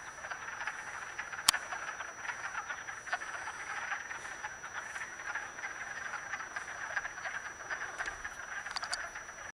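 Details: Wood frogs calling while mating in a vernal pool, Acton, Massachusetts, March 18, 2010; dense continuous chorus of short duck-like clucks from many frogs, overlapping and irregular, with one sharp click near the start.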